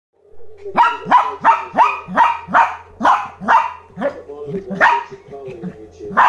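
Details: Lhasa Apso puppy barking at a new toy, a rapid run of about a dozen sharp, high yapping barks in quick succession, roughly three per second, with a faint low hum underneath.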